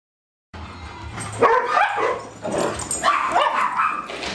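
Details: Dogs at play on July 8 2010, named Darwin, Vader, Bars and Boudicca; after a brief silence come yelping barks and growly yips in two bursts, with harmonic cries near the middle and a low hum beneath.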